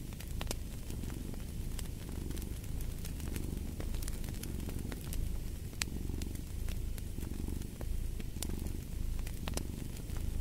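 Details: Domestic cat purring in a deep, steady low rumble that swells and fades with each breath, about once a second, over sharp crackles and pops from a burning fireplace.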